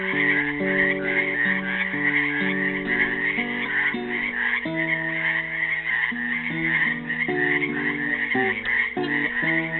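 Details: Trapped frogs in a Helix, Oregon pool on Earth Day 2016 keep up a thick, constant chorus of buzzy trilled croaks; plucked classical guitar notes rise and fall in the foreground throughout.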